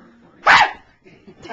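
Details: Pepena, a three-year-old pet Chihuahua who dislikes one family member but loves everyone else, gives a single sharp, loud bark indoors, followed by quiet room sound and faint voices.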